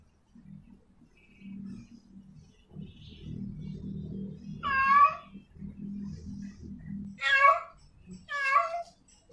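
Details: In heat, a female cat calls out to a male with three strained, wailing meows late in the clip, the last two close together, after a stretch of steady low droning background noise.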